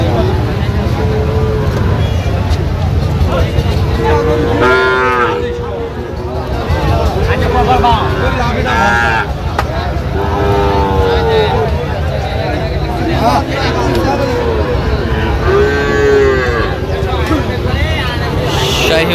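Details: Sahiwal bull calves at a cattle market in Manikganj, Bangladesh, on 18 September 2025; several drawn-out tonal moos rise above the din of market chatter, men bargaining and background music.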